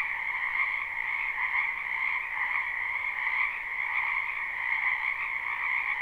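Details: A dense chorus of frogs calling from a wetland in spring, captured live with no looping: overlapping high, rattling trills form a constant, even drone with small ripples in volume.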